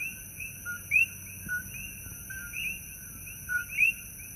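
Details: Coqui frogs calling loudly at night in Holualoa on the Kona Coast of Hawaii's Big Island: overlapping two-note chirps, a low note sliding up to a higher one, repeated irregularly, with steady high insect-like whine behind.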